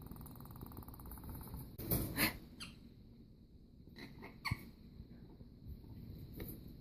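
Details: A pet prairie dog, angry at being caged while a person he dislikes walked through the room, gives short, harsh, rattling hisses, a defensive sound like a rattlesnake's.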